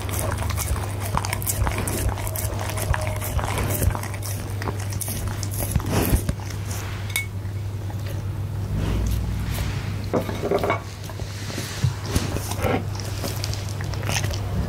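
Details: Punte the goldendoodle chewing steak and egg at dinnertime, Blue Yeti microphone; bursts of clicking bites and smacks alternate with quieter, softer gnawing stretches, all over a persistent low hum.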